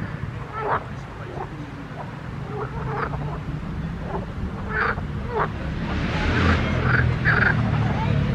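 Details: Croaking frogs in a pond: short clipped calls spaced at irregular intervals, louder bursts near the end as broad noise rises, over a low hum.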